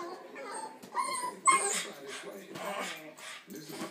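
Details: A Boston Terrier, annoyed by a yellow balloon in the living room and wanting to pop it, gives short, high yips and whiny barks while people talk nearby.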